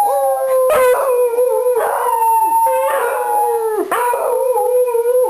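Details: Three beagles, a mother and two of her offspring, howl together in long, wavering, mournful tones as their owner returns home and howls along with them.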